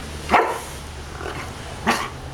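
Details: Maui, a dog in obedience training, barking on command: two sharp broadband barks about one and a half seconds apart, with a fainter yelp between them; low background hum.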